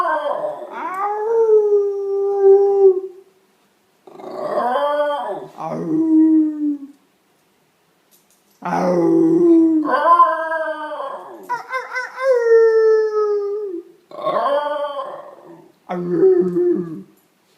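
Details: Basenji Ginger Snap, a year-and-a-half-old female, vocalizes in November 2013 in her first ever 'speaking' attempt: a series of drawn-out, wavering yodel-like howls, each bending down in pitch, in bursts separated by short silences.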